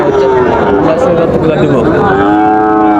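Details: Sahiwal bull calves at Raniganj cattle market, Dinajpur, Bangladesh, on Monday 9 September 2024: one long, steady, rich-toned moo fills the clip and rises slightly near the end, over market crowd noise.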